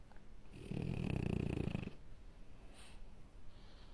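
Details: Sleeping French Bulldog puppy gives a single deep, rattling snore of just over a second, followed by soft breathing and faint snuffles.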